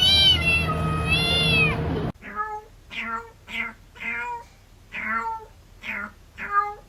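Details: Six short, quick meows from a cat, each falling in pitch and repeated roughly every half second, after two seconds of a steady, sustained tonal sound.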